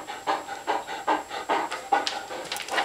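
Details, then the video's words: Hungry pet dog Bella, praised while waiting indoors for soaking food, pants in steady breathy pulses roughly every 0.4 seconds, with a faint high whine near the end. "Hungry dogs"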